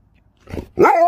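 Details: Sherpa the Alaskan Malamute, a house pet near a smart speaker, gives a soft muffled grumble followed by a loud, short tonal woo that bends slightly upward in pitch.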